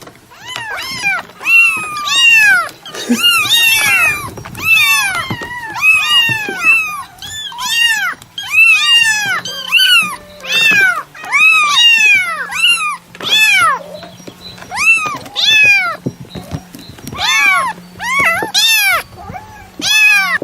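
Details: Cat meowing almost nonstop, a rapid run of short arching mews, often two or three per second, loud and harmonic, in bursts with brief pauses, over a low steady hum.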